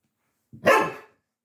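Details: Galgo Español dogs Manuel and Carlotta during play, Manuel still clumsy and new to playing; a single loud rough bark, rising sharply and fading within half a second, indoors with no other sounds.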